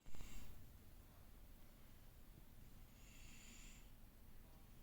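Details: Cat snoring during an afternoon nap: soft breathy hiss on each breath, about three seconds apart, over a steady low rumble; a louder thump sounds at the start.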